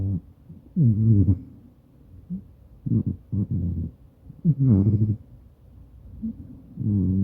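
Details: Sleeping Maine Coon cat snoring next to its owner, recorded on a smartphone; deep, rough, rumbling snores in irregular bursts about every one to two seconds, some with a nasal whistling edge.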